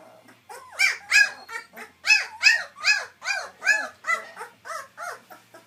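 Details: White German Shepherd puppies starting to sit up and walk cry in a rapid run of short arched whimpering yelps, roughly two to three per second, steady and insistent.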